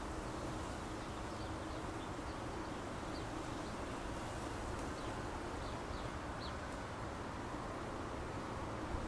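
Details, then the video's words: Bees swarming around a backyard bougainvillea on 21 May 2010, recorded close-up: a dense, unbroken low hum and drone fills the whole recording at steady loudness, with faint short high chirps scattered above it. "Bees in Bougainvillea (Close-Up)"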